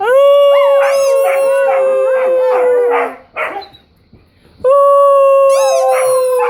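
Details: Weimaraner and Old English Sheepdog at play, excited by squeaky noises: sustained level howl with pulsing whiny yips layered over it, a brief near-silent pause, then the steady howl and shrill squeaks resume.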